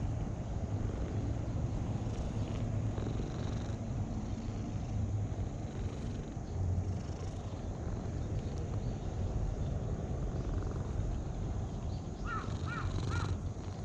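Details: Cat purring while being stroked: a steady, low rumbling purr runs continuously throughout, with faint higher rustles near the end.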